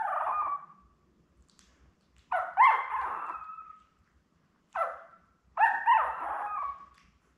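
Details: Young Labrador Retriever puppies, born May 24, 2021 to mother Belle and recorded indoors by a puppy cam on 4 June, give short wavering whines. The whines come in bursts of one to two seconds, some with a yelping break, separated by silences.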